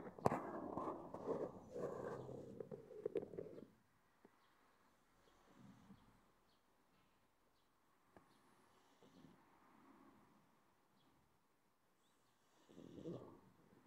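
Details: A pug taking its midday nap gives loud snuffling grunts that give way to soft, slow snoring breaths every few seconds.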